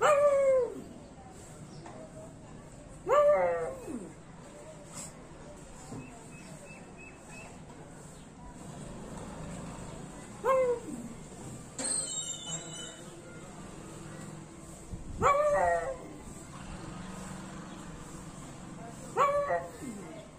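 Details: A pug sitting on a balcony overlooking a village bazaar gives sharp, falling barks every few seconds, challenging bigger dogs to a fight.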